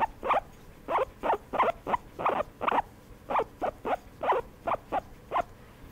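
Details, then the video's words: During a massage a guinea pig produces distinct short squeaks, each a sharp broadband pulse, spaced irregularly about two to three per second against a quiet background. "Guinea pig enjoy（？？？？） a massage"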